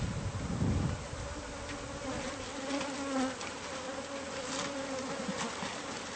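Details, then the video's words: Honeybee-like swarm from a hive concealed inside a home's walls, being removed: a continuous droning buzz with steady tonal bands, a brief low thump near the start, no voices. "No knowledge of bee hive!"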